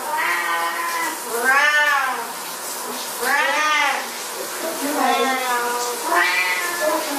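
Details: Siamese cats protesting at shower time with loud, arching meows that rise then fall, about four distinct yowls spaced a second or so apart, with softer mewing between them.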